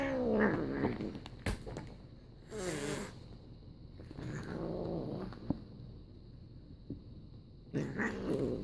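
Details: Several house cats, two tortoiseshells and a Sokoke kitten, indoors; a few wavering, drawn-out meows come in separate bursts, with a quieter stretch between them and faint background noise.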